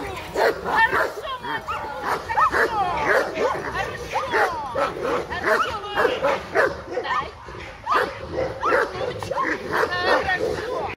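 A Caucasian Shepherd Dog gives rapid whines and short yips, with a person talking throughout.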